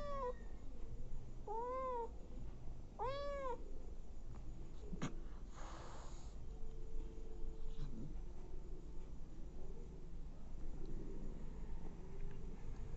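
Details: Abandoned kittens being fed by a nursing mother cat: a few short arched high mews in the first three seconds, one loud, then only low rumbling background and faint rustles.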